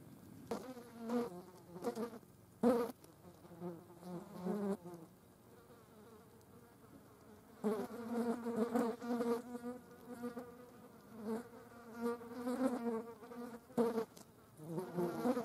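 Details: Green bottle flies gathering at a dead mouse, their buzzing coming in irregular bursts, some brief and some sustained for several seconds, separated by quiet gaps and a few faint clicks.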